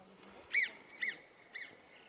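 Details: Alpine marmots on a July 2021 summer hike, Coumély plateau toward Lac des Gloriettes, Hautes-Pyrénées: sharp, shrill rising-and-falling whistles about half a second apart, animals answering one another, later cries fainter and more distant.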